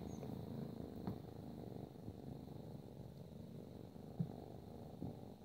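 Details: Ragdoll kitten, 12 weeks old, with its mother: steady low continuous purring rumble throughout, quiet indoors, with faint soft clicks.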